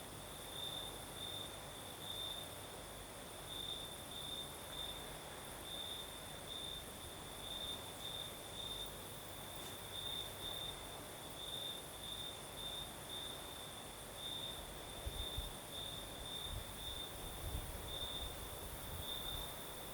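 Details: Night chorus of crickets in southern Crimea under a night breeze, a continuous high-pitched trill with clustered chirp pulses recurring throughout, plus a second thin high whine and low wind-like rumble, a few low thumps late on.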